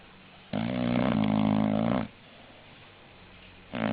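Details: English bulldog snoring: one long, loud, rattling snore lasting about one and a half seconds, then a quiet pause before the next snore begins.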